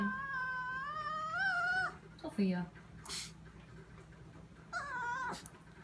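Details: Female Chihuahua whining in a kitchen at 2am while staring at something: a long, high, wavering whine for about two seconds, then a short low yelp and a brief whine near the end, over a steady indoor hum.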